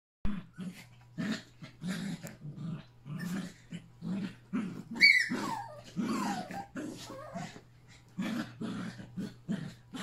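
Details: Three Yorkshire Terrier puppies with Pepper and their mother at a last play session together on August 29, giving short rough growls in quick bursts, with one higher yelping whine in the middle.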